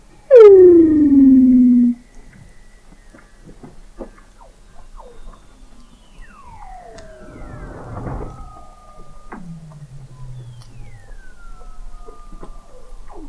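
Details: Weddell seal beneath Antarctic sea ice at McMurdo Sound, November 2017, observatory hydrophone 21 m down: a loud descending glide, then quieter falling whistles, clicks and a low downward-sweeping moan against a quiet background.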